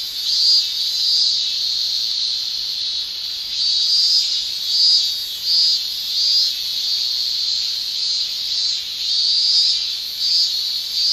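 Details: Summer chorus of male Japanese cicadas, tymbal song in Japan: steady piercing shrill buzz, high-pitched, rising and falling in loudness in irregular waves about once a second, nothing else audible.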